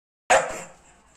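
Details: American Staffordshire Terrier giving one sharp, short bark that fades quickly into quiet room echo.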